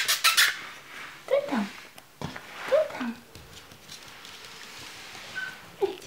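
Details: Chihuahua puppies at a breeding kennel give short whining squeaks that slide down in pitch, two clear ones about a second and a half apart, after a sharp clattering burst at the start; faint room noise throughout.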